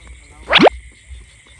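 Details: Frog at night in Cambodia, caught as young frogs for baiting traps; a single short harsh croak with a quick rising sweep, lasting under half a second, over a steady high insect hum.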